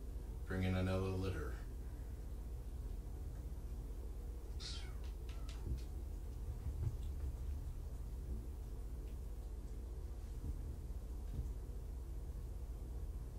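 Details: Kittens, five from two litters surrendered in Tacoma and taken in by Purrfect Pals, during an afternoon visit. A drawn-out, low harmonic meow opens, then a brief high falling mew follows midway, over a quiet indoor hum with faint voices.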